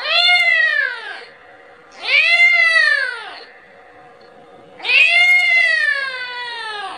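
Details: A young kitten cries for its mother, wanting milk. There are three long, strained meows that arch up and then slide down. The last one trails off more slowly. A near-silent pause follows each cry.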